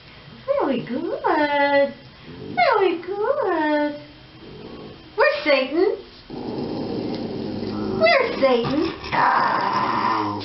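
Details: Shiba Inu producing a run of rising-then-falling yowls in distinct bursts about a second apart, each bright and richly harmonic, followed by a rougher, noisier stretch near the end.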